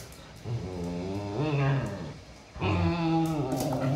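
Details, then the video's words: Siberian Husky mother disciplining her pups: two drawn-out, low moaning vocalizations with rich, wavering tones, the second starting abruptly and louder after a brief lull. "Husky mom teaches pups disciplines"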